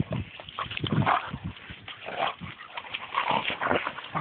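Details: Two dogs upset at being tied to each other by a double leash, giving soft whimpers and short yips scattered through a noisy background.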